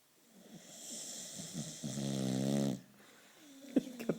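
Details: Boxer dog Turbo asleep indoors in a curious position: a slowly swelling, wheezy, rough intake builds into a loud, vibrating, rattling snore of about a second, then quiet with a few clicks.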